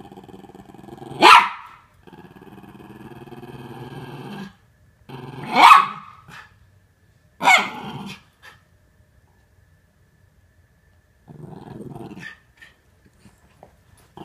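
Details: Norfolk Terriers at play, wrestling to keep their housemate Ernie under control; three sharp barks spaced a few seconds apart, separated by low throaty growling, then a quieter growl near the end.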